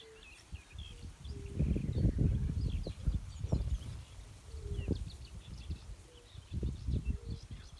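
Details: Yellow-bellied toads give soft, short mellow 'kuum' notes, spaced unevenly, with several callers overlapping, from a reed-filled, cattail marsh in late spring. Low rumbling wind or handling noise and faint bird chirps sound in the background.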